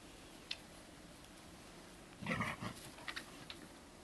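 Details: Small black-and-white Bearded Collie puppies romp in a garden at dusk with their mother Topas and with Gipsy; a short burst of rough, growly yapping near the middle, with faint scattered clicks and a quiet background.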